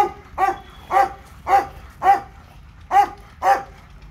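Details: At a dog park, the Labrador Retriever called Leo gives a run of seven punchy, rhythmic barks spaced roughly every half second, clear and loud above soft ambient noise.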